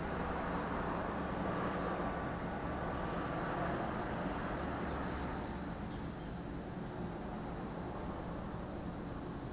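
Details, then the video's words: Cicadas at Lake Kamo in Sado City, Niigata Prefecture, Japan, forming a steady, shrill, high-pitched drone that holds unbroken throughout, with a soft low rumble beneath. "Lake Kamo in Sado City, Niigata Prefecture, Japan, where you can hear the voice of cicadas."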